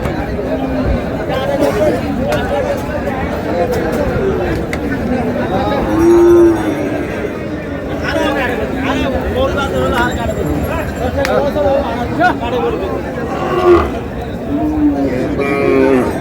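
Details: Cows with calves mooing at Raniganj cattle market in Dinajpur on 19 July, low drawn-out moos rising through a dense crowd of talking traders and buyers bargaining over prices.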